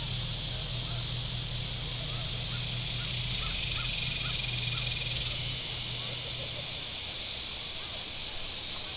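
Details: Warm-weather cicadas by Table Rock Lake in southern Missouri make a continuous high-pitched buzzing wash, while a boat engine hums low for several seconds and faint short chirps flicker in the middle range.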